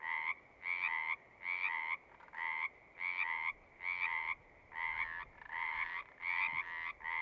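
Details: Frogs singing in a natural setting, with about eight evenly spaced buzzy trills, each lasting under a second and divided by short silences, a steady pulsing rhythm of croaks.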